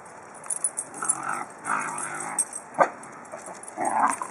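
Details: Basenji dogs at play: a newly rescued batch of pups from a hoarder romping with adult and former pups. Scattered short yips, whines and grumbles come in quick bursts, with a sharp yelp near the middle and a steady hiss in the background.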